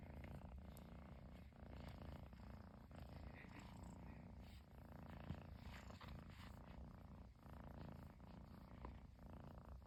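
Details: Chinchilla Persian kitten indoors in Japan, unable to stop purring after its owner came back home; even, low-pitched purr throbbing steadily throughout, with a faint voice murmuring in the background.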